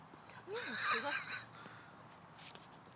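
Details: An English Bulldog makes a strange gremlin-like vocalisation: a brief rough, strained burst of squeaky, wavering whines and grunts lasting about one second, followed by quiet.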